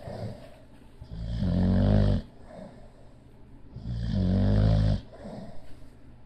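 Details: Sleeping bulldog Leo snores twice in a steady rhythm. Each low, gravelly, drawn-out snore lasts about a second, with soft breathing in the pauses.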